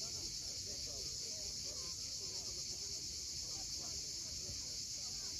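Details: Crimean cicadas at sunset above the sea cliffs of Cape Fiolent keep up a constant shrill, hissing buzz, while faint chirps from other birds and low wave rumble sit underneath.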